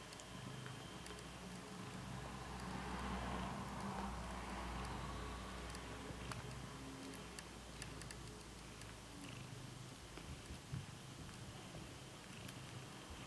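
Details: Bengal kitten purring softly while kneading with its paws; a low, steady, quiet rumble that runs throughout, with faint scattered clicks and light handling noise.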